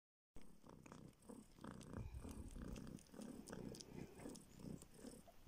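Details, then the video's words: Homeless baby kitten, found on the street and now living in a village in northern Siberia, sucks a finger in search of milk; low rumbling purr with soft rhythmic suckling noises after a brief silent start. "Kitten SUCKS finger in search of milk!"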